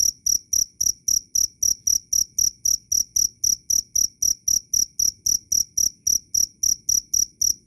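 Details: Cricket chirping loudly and clearly, a relentless series of short, shrill pulses at about four per second, each with a thin higher overtone, over near silence.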